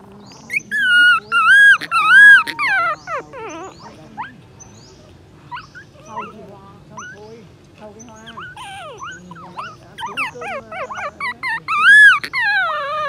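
A puppy cries in high, wavering whines, calling for its mother.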